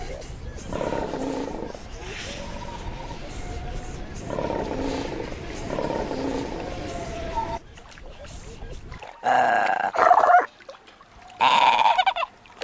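A fur seal gives hoarse, bleating calls with strong harmonic tones, repeated in long drawn-out bouts.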